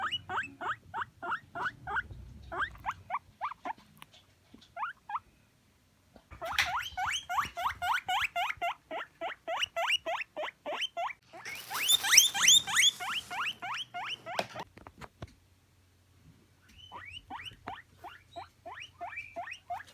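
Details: Pet guinea pig giving long runs of short rising squeaky wheeks at a quick steady rhythm, with a louder, shriller burst midway and brief pauses between runs.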